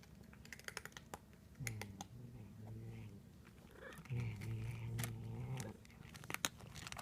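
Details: Pet cat vocalising while it eats indoors: two drawn-out, low, droning murmurs of about one and a half seconds each, rich in overtones, amid clicks, crinkling and small tapping sounds.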